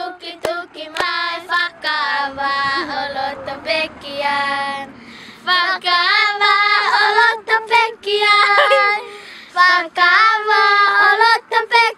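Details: A high, clear voice sings a melody in phrases with short pauses between them, and no whale or other animal call is heard.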